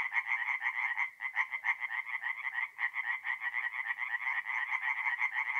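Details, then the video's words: Chorus of tree frogs calling at night from a forest pond in North-East Italy, mid-April; a continuous stream of fast, harsh, nasal pulses with brief dips in one caller, steady and unbroken throughout. "relaxing forest pond by night with singing tree frogs"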